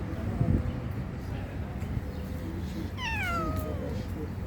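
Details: Kitten meowing: after about three seconds of low background murmur, a single clear, high, drawn-out meow starts bright and slides steadily downward before fading.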